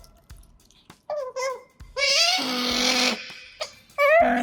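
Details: Pet otters Kotaro and Hana feeding indoors near a microphone: a few brief wavering chirps, then a long, loud, strained, buzzy squeal, followed by soft clicks and a final rising whine.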